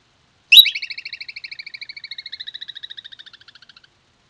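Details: A groundhog around a fox den, recorded 9–10 July 2022, calls with one loud, piercing whistle, then runs into a quick, even trill of high notes lasting about three seconds that slowly softens until it stops.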